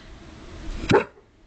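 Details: Dog very afraid of water, which swam in the ocean only once, lets out a single short, sharp bark after a quiet stretch.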